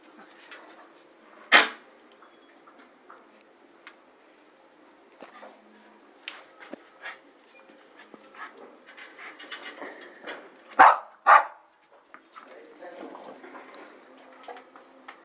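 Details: Brown toy poodle at play, making scattered soft whines and snuffles punctuated by a single loud yap early on and a pair of sharp barks near the end.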